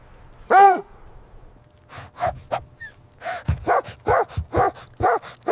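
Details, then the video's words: Puppies play with their mother dog on snowy ground in winter. One loud, high yelp is followed after a pause by a quick run of short, sharp yips and barks, roughly three per second. "Dog barking sounds"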